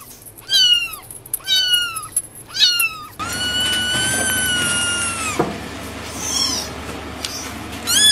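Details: Kitten meowing in an ASMR recording: three short, bending meows about a second apart, then one long, drawn-out meow held for over two seconds, with a steady background hum and a final brief cry.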